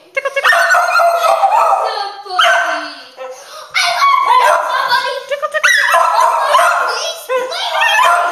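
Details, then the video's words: A cockapoo howls in long, wavering, mid-pitched bursts broken by short pauses, set off by hearing the word "tickle." "Ripley Crazy Howling Cockapoo Dog"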